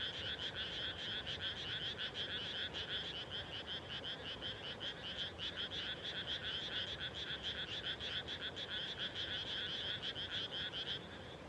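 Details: At dusk following rice planting in rural Japan, many frogs call together: loud, pulsing, rattled croaks repeating roughly twice a second without pause, forming a steady rolling chorus.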